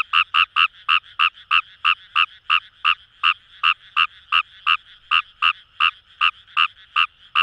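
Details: Kawamura's rice frog calling in paddy fields along the Kamo River, Itoshima, Fukuoka, Japan: short, sharp double-toned croaks repeated rapidly, about three per second, some twenty notes in a steady run over a faint buzzing chorus of distant frogs.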